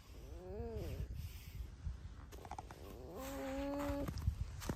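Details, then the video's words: Domestic red fox named Alice squeaks: first a brief arched whine, then after a pause a longer, steady, flat-pitched squeal lasting nearly a second, with soft clicks and room noise around it. "Алиса Лиса-Alice the Fox (Скрипит Без Слов)"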